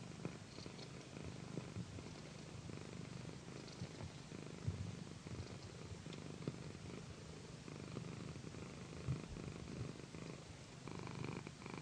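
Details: Massaged on a satin pillow, the female pet cat Pandy keeps up a low, sweet purr; a dense rumble concentrated in the bass, gently pulsing, with faint rubbing sounds and a few soft taps.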